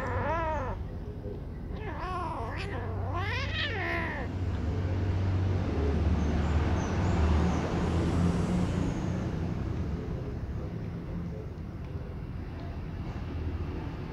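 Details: Two sibling baby kittens, one black and one gray, fighting as the black one fends the gray off with its claws; several rising-and-falling meows come in quick succession early on, then a steady low hum fills the rest.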